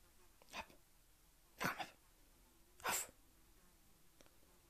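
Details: Diego, a male pet Magyar Vizsla about two years old, hunting a fly indoors: three sharp, breathy snorting bursts roughly a second apart, with a faint low hum and soft background noise between them.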